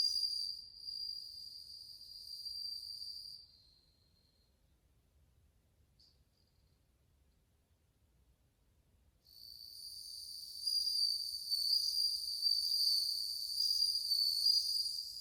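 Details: A chorus of bell crickets from August 2020 rings with a high, pure trill, stops for roughly five seconds of near silence, then comes back stronger and fuller with dense overtones.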